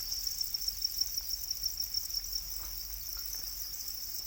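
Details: High, pulsing shimmer of domesticated black crickets (Para crickets), a rapid pulsed chirping that stays level in pitch, over a quiet low hum.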